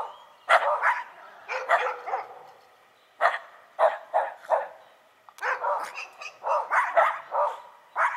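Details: A Shiba Inu and a Schipperke bark back and forth, producing loud clustered yaps in bursts of two or three, short silences, then a dense, busy stretch of overlapping barking.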